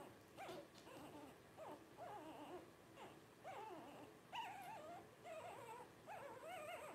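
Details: Twelve-day-old Blenheim Cavalier King Charles Spaniel puppies from a litter of five, born New Year 2023 to Paris and Spike, give short wavering whimpers in bursts about every second, each a quick rising-falling squeal, soft and indoors.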